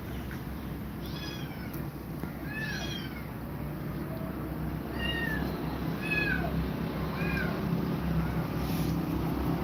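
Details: Cats meowing while Grumpy Cat shies away from two mother cats; about seven short arched meows, some in quick pairs, with a constant low hum beneath.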